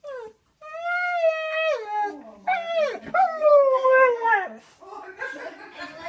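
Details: Siberian Husky making strange noises indoors: drawn-out tonal howl-like wails that bend and slide in pitch, some rising then falling, broken into several uneven phrases with short whining breaks.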